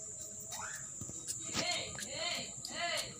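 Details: Female cat in heat mating with a male, meowing and crying out while he mounts her. Four short, arched, harmonic meows rise and fall in about three seconds, over a steady high hiss and background noise.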